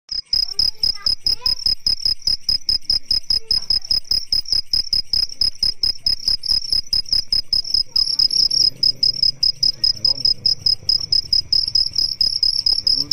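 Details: A male cricket sings by stridulation, rubbing its raised front wings to attract females, producing a steady, high-pitched stream of rapid, evenly spaced chirping pulses.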